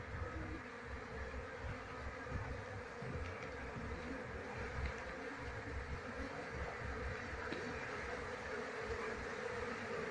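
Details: Asian honey bees (Apis cerana) from a wild colony, handled during transfer to a hive box while the queen is sought; a dense, steady, low humming drone of many bees continues throughout with little change.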